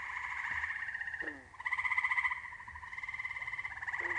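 Eastern gray treefrogs call in rich, rapidly pulsed trills that carry a bright, fluty tone. The trills overlap and run almost without pause, with a few fainter frog notes underneath.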